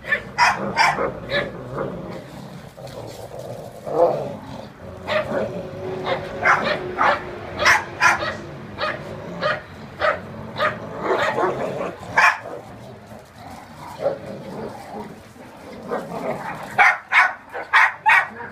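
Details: Ridgeback and Jack Russell dogs in a tug of war, tearing apart a shared blanket; short sharp barks and yips come in rapid bursts, several per second, broken by snarling growls and scuffling throughout.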